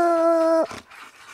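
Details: Coon dogs Lucky, Mossie and Star treed a ring-tailed raccoon during a hunt; one dog gives a single brief, steady, drawn-out bawl that cuts off abruptly, while a man urges it to talk.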